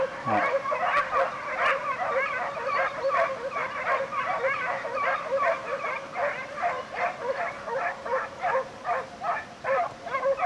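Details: Hare hunt with a pack of Segugio Italiano hounds, European champions in 2004. A steady, unbroken chorus of high yelping bays from many dogs overlaps in fast, uneven pulses, about two to three a second.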